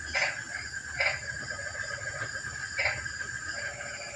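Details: Frog calling on a quiet, rainy night, giving short, bright, croaking notes spaced irregularly about a second or more apart over a steady background hiss.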